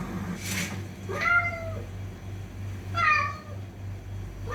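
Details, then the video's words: Fighting cats: two short, bright meows about two seconds apart, each with a quick rise and a level tail, over a faint low background hum. "TRY THIS SOUND ON YOUR CATS"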